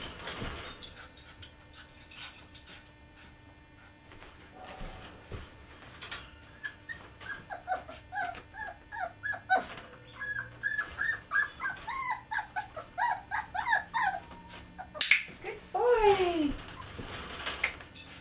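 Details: Ten-week-old Border Terrier puppy in its second clicker-training session, whining in a long run of short high rising-and-falling whimpers, several per second. The whimpers grow louder near the end and end in a drawn-out falling whine, with sharp clicker clicks and a handler's voice.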